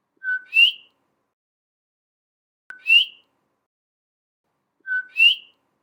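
A coqui frog gives its two-note 'co-kee' call, a flat whistle then a higher rising chirp.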